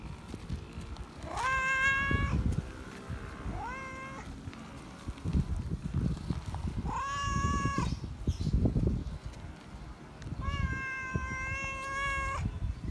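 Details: A feral cat calls out loudly for attention and love, giving four meows of varying length, some rising then level, spaced irregularly, with heavy low-pitched rumbling and thumping noise between calls.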